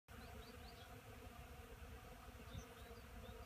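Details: Honey bees foraging on pollen at an apiary on 10 March 2015; a steady low droning hum of many wings fills the recording, with faint higher flickers above the buzz.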